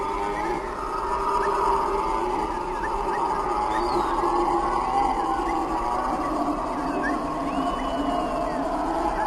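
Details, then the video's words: A troop of howler monkeys roars and screams near sundown in a deep, droning chorus that swells and rolls without pause. "Howler Monkeys Sound effect"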